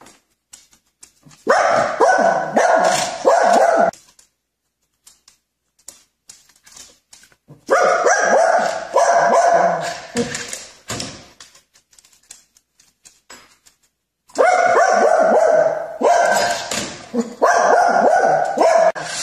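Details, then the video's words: Pet dog barking while playing with toy cars: three bursts of rapid, sharp, mid-pitched barks and yips, each lasting about two to three seconds, separated by quiet gaps with faint scuffling. "Funny Dog playing cars"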